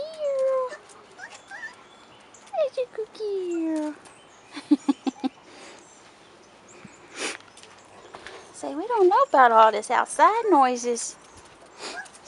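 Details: Young Rottweiler puppies, four and a half weeks old, outside for the first time: falling whines early on, then a busy run of overlapping, quavering yelps and whimpers near the end, with clicks between.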